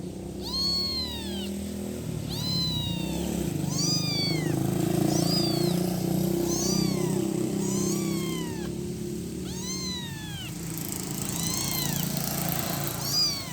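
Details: Kitten about one week old calling its mother, giving a steady run of about nine arched, high-pitched meows roughly every second and a half, over a continuous low rumbling background.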